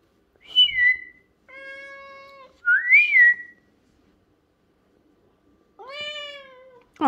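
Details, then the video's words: Lynx Point Siamese cat meowing in protest at its owner's whistling indoors: short whistled rising tones alternate with drawn-out harmonic meows, two meows answering the whistles, ending in a sharp cry. "Cat doesn't like my whistling"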